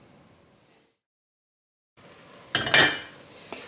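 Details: A moment of near silence gives way to kitchen noise. Cutlery and dishes clink sharply, with no animal voices present.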